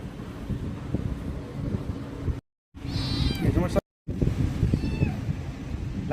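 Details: Kitten pleading with its owner, two short high wavering meows around the middle, set against constant low rumbling noise, human speech and brief gaps of silence.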